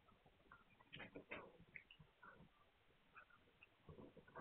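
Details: Hungarian Vizsla puppies dated 9 March 2021, making a quick cluster of thin squeaks and small grunting sounds over a low background rumble.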